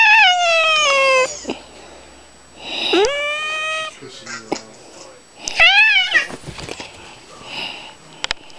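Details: Annoyed orange male Manx cat, pet being pestered at home, lets out a series of complaining meows: a falling wail, a rising then level cry, and a bent, arching call, with quiet gaps and a person repeating "kitty kitty".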